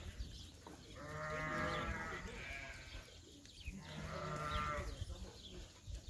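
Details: Lamb bleating with excitement at being outdoors on a sheep farm: three wavering, harmonic-rich bleats spaced about two seconds apart, fairly quiet, with low background noise throughout.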